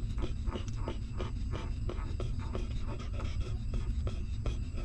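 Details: Newborn puppy nursing from its stray mother, feeding hungrily; regular wet sucking clicks come about three times a second, each a short smack, above constant low-pitched background hum.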